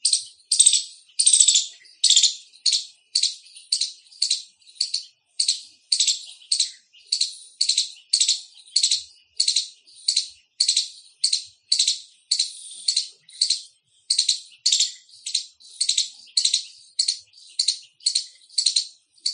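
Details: An Indian palm squirrel gives a loud, sharp barking call of high chirps, repeated steadily about twice a second.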